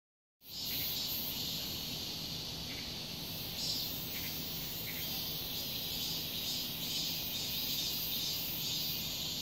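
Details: Cicadas singing loudly in summer in a residential complex: a dense, continuous high buzzing drone without breaks, with faint short chirps of other callers rising above it and a low background hum.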